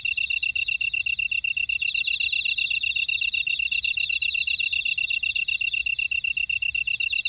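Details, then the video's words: Insects singing in a Jeju buckwheat field, Ora-dong, South Korea, form a dense, unbroken high chirping chorus: one insect repeats rapid even pulses while other faster, shimmering trills run above it. "제주 메밀밭의 풀벌레 소리 (Sound of a buckwheat field)"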